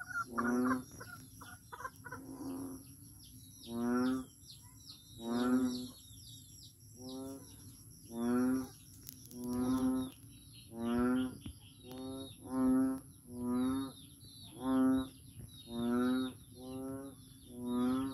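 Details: Persistent frog chorus at Daanbantayan, Cebu: more than a dozen low, moaning, buzzy calls, some quick and stuttered early on, then a fairly regular run about every second, over shrill insect chirping.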